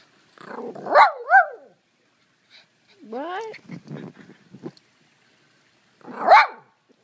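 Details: Pet poodle in a backyard, eagerly waiting for a rock to be thrown during its favorite rock-chasing game: two sharp, yelping barks near the start, a rising whine-like bark midway, then one more bark, with a person talking.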